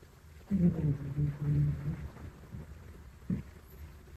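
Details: Sleeping Mame Shiba puppy Donguri gives a long, low, rattling snore of about one and a half seconds, steady and buzzy in a small quiet room. A second short snort follows nearly two seconds later.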